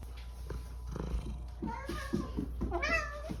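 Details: Indoor cat begging for breakfast in the morning: a run of soft, low purring chirps building into two rising-and-falling meows, with faint household noise and a steady low hum behind.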